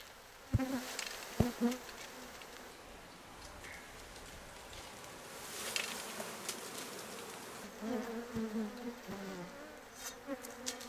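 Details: Open-air colony of Japanese honey bees in Kyoto Prefecture, Japan, 8 June 2023, bees undisturbed by close human observation; an uneven, low buzzing swells and fades as bees fly past, with soft ticks and rustles between.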